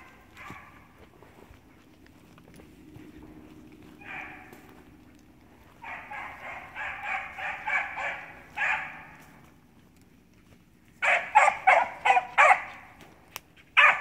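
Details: Six-month-old Beagle barking alone in short bursts: a brief bark near four seconds, a run of rapid, evenly spaced barks from six to nine seconds, then a louder, sharper volley near the end, with quiet pauses between.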